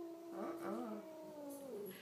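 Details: A domestic cat, cornered by dogs that just want to play with her, gives a drawn-out, wavering yowl, a low moaning protest at dogs she dislikes.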